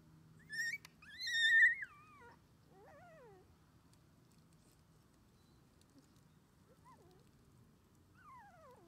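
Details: Twenty-one-day-old red male Shiba Inu pup, an only puppy that plays only with its mother, on its first day getting used to playing outside: a loud high squealing whine early on, then softer wavering, descending whimpers spaced across quiet.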